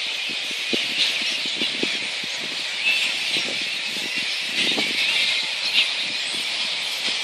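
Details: At Boonah, Queensland, Australia, flying-fox megabats recorded 02/01/2014 keep up a constant shrill squealing chorus, punctuated by repeated short lower squawks and clicks and occasional brighter squeaks.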